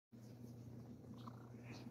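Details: Sir Titan the cat purring while being cuddly, a steady low continuous hum with no breaks across the short stretch.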